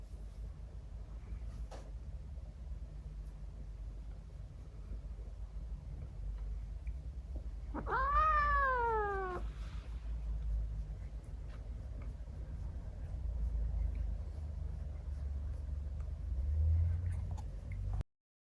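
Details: Female Scottish Fold and Persian mix kitten, born November 2022, being patted on the bottom at bedtime indoors gives a single clear meow that starts high and slides downward, then goes quiet over a low room hum.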